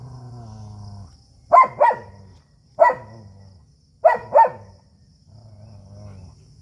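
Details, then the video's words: Barks from a fight between a native Indian dog and a German Shepherd, sharp double and single barks every second or so, with deep steady growling between them. "देशी और जर्मन शेफर्ड dog 🐕 के बीच हुई तगड़ी फाइट"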